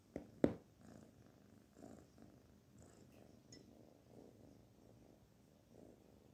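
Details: Soft, quiet purring from the kitten Barfi as she is petted, a faint low pulsing rumble rising and falling after two sharp clicks at the opening.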